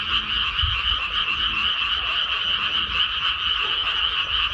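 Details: Dense chorus of many frogs calling from a rice paddy just after rice planting, a steady overlapping mass of rapid raspy croaks with bright bands in two pitch layers, no pauses throughout, faint low rumble underneath.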